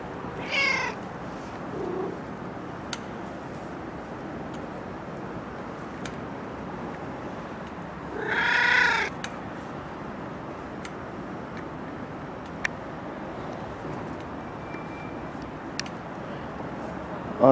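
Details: Stray street cat, a male described as injured, giving a few short meows, one at the start and a louder, longer one near the middle, over steady outdoor background noise.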